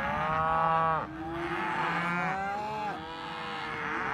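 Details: Cows lowing: a long, steady moo followed by a couple of shorter, wavering moos that slide in pitch, with a faint low hum behind.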